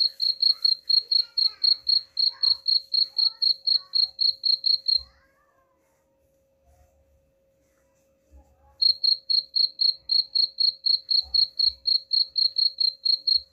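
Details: Cricket chirps, presented as a rat-repelling sound. A rapid run of high buzzy pulses about four per second stops for roughly three seconds of near silence, then resumes at the same pace, with faint low knocks throughout.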